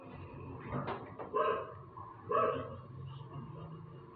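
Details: A dog barking endlessly: two short, rough barks about a second apart stand out over a murky background of low rumble and faint indistinct noise.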